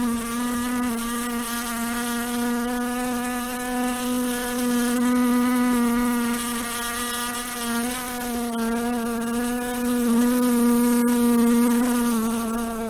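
A fly buzzes steadily, its wingbeats making a continuous droning hum rich in overtones. The pitch wavers gently up and down as it moves, without a break throughout.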